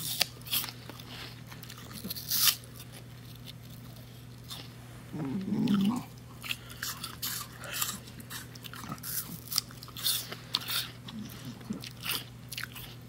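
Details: A mini bull terrier, a female, eating an apple indoors and sharing it with her owner: wet crunching bites and chewing clicks come in bursts across the recording, over a steady low electrical hum.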